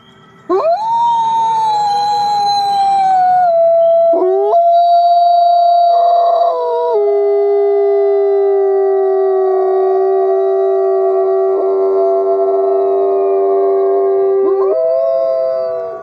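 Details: Several wolves howling together in long, steady, overlapping tones that hold their pitch for seconds at a time, with sudden jumps up or down as voices change, forming a continuous sustained chorus.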